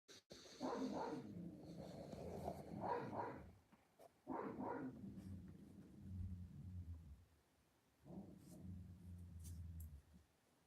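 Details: Puppies at play, giving low rumbling growls in three bursts of about three seconds each, with short yappy barks mixed in and quiet gaps between.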